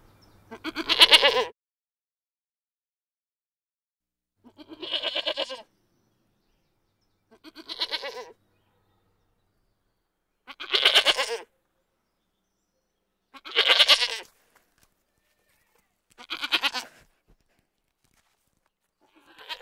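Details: Goat giving a series of seven bleats spaced two to three seconds apart, each short, nasal and quavering, some louder than others, with silence in between.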